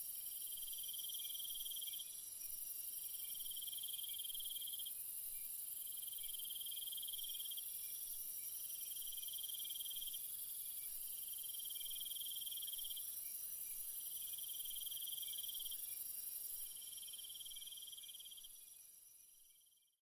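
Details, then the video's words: Crickets trill at night in an evenly pulsed rhythm, with high bursts of about one and a half seconds and short gaps between them, over a steady shrill drone; the sound fades out at the very end. "Cricket Sounds"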